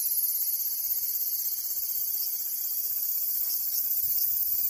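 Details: Steady cicada buzz, very high and hissing, unchanging over the few seconds, with a faintly wavering intensity and nothing else clear.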